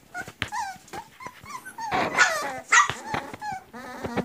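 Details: Griffon puppies about 40 days old, a litter of three males and four females, in Cairo, Egypt: high thin whines and whimpers that rise and fall, overlapping in a busy chorus with short yips between them.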